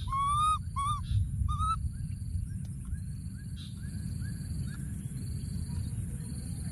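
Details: From inside a thorny tree, a baby monkey repeatedly calls for his friend: three bright, clear tonal calls in the opening two seconds, then only faint, soft calls over a steady low rumble and thin high tones.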